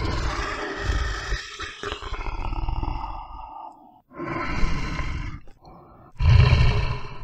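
A bear gives deep, rumbling roars and growls in rough bursts.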